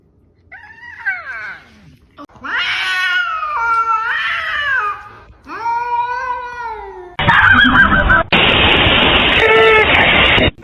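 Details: Domestic cats in a fight, giving drawn-out, wavering, harmonic yowls that rise and fall over several seconds, followed by loud, rough bursts of noise and people's excited voices.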